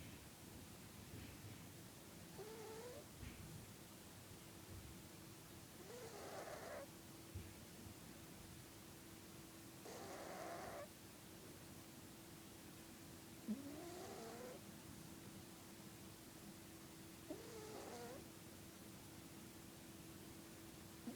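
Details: Felix the domestic cat asleep and snoring irregularly: some breaths give short wavering whistles like a nose trumpet, others a coarse rasp, separated by quiet pauses of a few seconds, with a steady hum behind.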